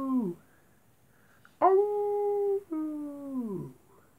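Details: Wolves at night: a falling howl fades out, then after a quiet gap a steady held howl is followed by a longer note that slides down and trails off.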